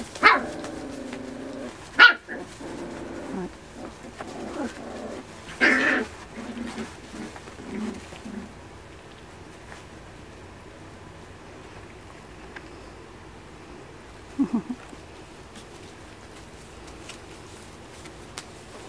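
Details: Miniature Schnauzer puppies, part of a litter of eight, 45 days old, play-fighting while their mother watches from a distance; short yips and growly harmonic cries burst out during the first eight seconds, then quiet with one brief squeak.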